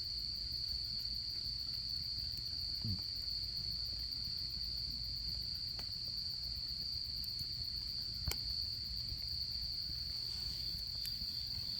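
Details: Autumn insects sing by a campfire: a continuous bright trill at steady pitch, a faint rapid pulsing higher overhead, and occasional sharp pops and crackles from the flames.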